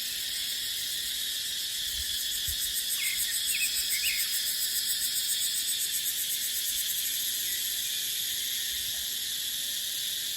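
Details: Shrill, sustained cicada chorus in dipterocarp forest in the dry season, with wind; the drone swells in gentle pulses midway, and a short run of bird chirps sounds around three seconds.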